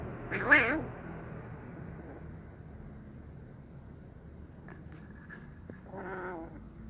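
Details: Given fish sausage, the wary brown kitten gives a short, strong, quavering meow at the start, then a softer, shorter mew near the end, with low background rumble and a few faint clicks between.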